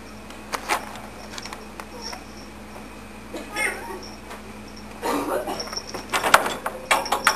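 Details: Kittens, two brown tabbies and an orange tabby, at the Cats Exclusive adoption shelter in Margate, Florida, give short meows scattered among quiet indoor room noise, with a louder burst of mewing and human talking toward the end.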